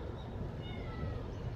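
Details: Stray Siamese cat at early dawn in fog, approaching during a food delivery on a cold day; a short, thin meow with a gently falling pitch, over a steady low rumble of background noise.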